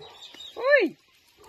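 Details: One bright, rising-then-falling yelp from Poppy, a playful Dachshund working around cows outdoors, standing out briefly against faint background murmur and a man's voice nearby.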